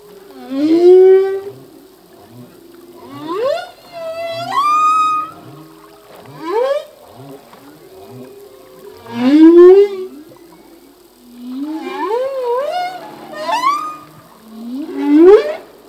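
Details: Full-length humpback whale song by a male, new phrases learned each year: a steady series of rising, swooping moans and upsweeps with harmonic overtones, roughly every two to three seconds, some loud and some softer, in clear water.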